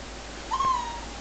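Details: Shih Tzu puppy, 18 days old, a red-coated litter, giving one short level whine that fades away, with a woman speaking softly around it.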